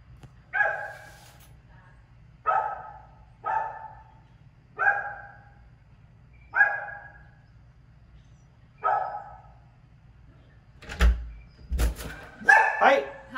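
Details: Pit bull barking during a dog training session in Florida: six deep, clipped barks spaced one to two seconds apart, followed by a person's voice and clatter near the end.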